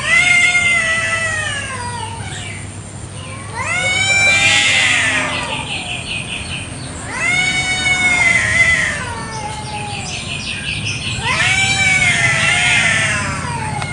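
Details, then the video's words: Territorial fight between kampung cats in a garden one morning: four loud, strained howls come roughly every four seconds, each climbing then sliding downward. Quick repeated high chirping fills the gaps between yowls. "KUCING BERTENGKAR HEBAT BEREBUT WILAYAH"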